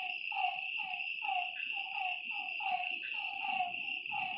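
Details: Night-time lakeside frogs give a run of short downward-sliding croaks, several callers overlapping, backed by an unbroken high-pitched insect hum.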